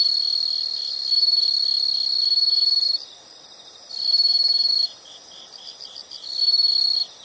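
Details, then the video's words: Insects in a soothing nature recording: three loud, shrill, buzzy trills of one to two seconds each alternate with short quieter gaps, where a fainter pulsing chirp chorus carries on underneath. "the sound of insects"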